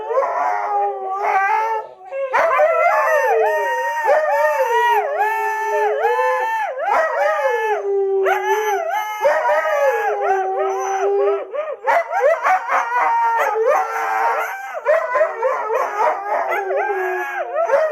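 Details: Husky howling nonstop in a long, singing sequence of wavering tones that repeatedly dip and rise, mixed with short chopped yodels and yips, with steady loudness throughout.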